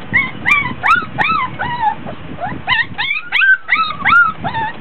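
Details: Three-week-old Border Collie puppies, 24 days old, in a whelping box during a play session, fussy because hot and tired; rapid high whines and yelps with arching, rising-then-falling tones, overlapping from several pups, over soft rustling.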